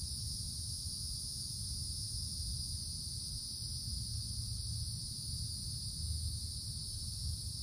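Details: Cicadas in summer woods beneath the treetop canopy, a continuous high, steady shrill drone in two pitched layers with no breaks, over a soft low rumble throughout.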